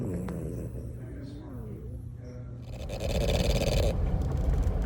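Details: Squatch, a blue and white pied French bulldog, snores with a low, rasping rumble while faint voices are heard; the snoring often drowns out the television.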